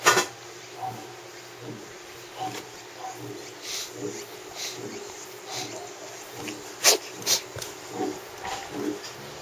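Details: A cat with ongoing rhinitis snuffles softly through its nose, then gives one sharp, explosive sneeze late on, followed by a couple of smaller puffs, with a faint constant hum behind.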